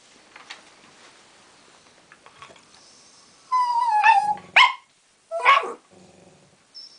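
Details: Winnie, a furious West Highland White Terrier, angry that Polly the Tibetan Terrier still has her ball: a long descending whine followed by two sharp harmonic barks, then quiet rustling.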